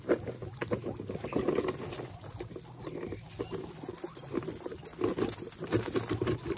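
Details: Excited guinea pigs making noises: rapid, low chuttering pulses repeated in quick bursts, with brief sharper squeaks and a constant low hum underneath.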